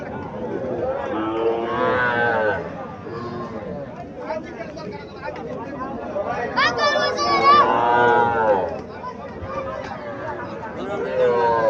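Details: Calves lowing at a cattle market in Mirshanni, Cumilla, held on 24 April 2024; drawn-out harmonic moos around two and seven seconds, with more near the end, over market chatter and bargaining voices.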